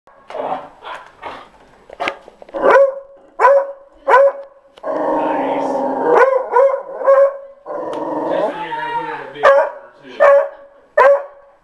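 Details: Pet beagle barking at the postman, which it dislikes: sharp, loud barks about once a second, broken by two longer, drawn-out baying howls midway.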